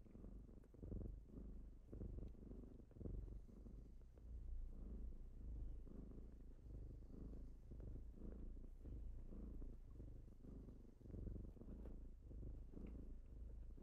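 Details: Low purring from kittens on a typical morning of waking their owner. A steady, deep rumble pulses with soft breathing swells, and light rustling and ticking sounds are scattered through it.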